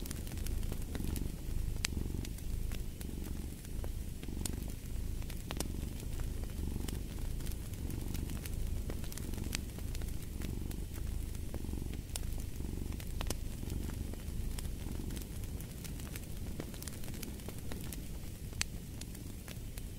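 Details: Continuous low purr from a domestic cat, pulsing regularly with its breathing, accompanied by a constant crackling fireplace with many small snaps and an occasional louder pop.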